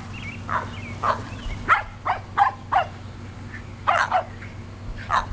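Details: Shetland Sheepdog puppies, 7.5 weeks old, playing in a yard alongside Sheltie-Cocker Spaniel mixes during a garden tour on 22 May 2012. Short, sharp high yips repeat about every half second, some nine bursts in five seconds, over a low steady hum.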